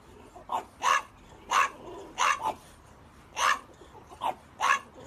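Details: French Bulldog barking: a handful of short, sharp barks spaced unevenly over five seconds, each a bright burst, with a quiet indoor background.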